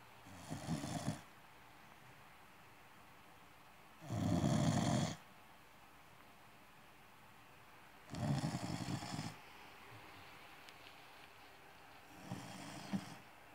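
An American Cocker Spaniel snores in slow, rasping breaths that come about every four seconds.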